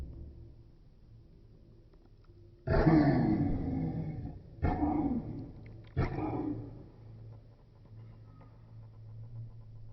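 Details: A 14-year-old pug yawning: a loud breathy yawn with a falling groan lasting about two seconds, then two shorter noisy breaths, before the room goes quiet.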